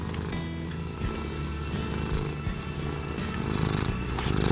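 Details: Domestic cat purring, a sound linked to pleasure, calm and feeling safe, shown as a steady low pulsing rumble throughout, with soft background music and a chiming melody running over it.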